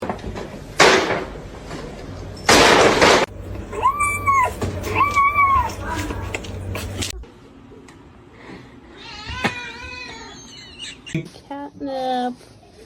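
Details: Domestic cat meowing amid a noisy compilation: two arched, mid-pitched meows in quick succession, later a shorter rising-falling meow, with loud thumps, music and voices around them.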